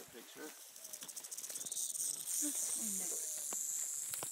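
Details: Rattling western diamondback rattlesnake met on a trail in Sycamore Canyon, Arizona, when almost stepped on; rapid pulsed buzz building to a continuous high, hissing whir, with people talking quietly underneath.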